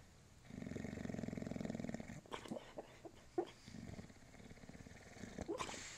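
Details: Bulldog named Moses dreaming, reportedly about orange traffic cones; a steady low snore for two seconds, then a run of soft twitchy whimpers and small muffled barks.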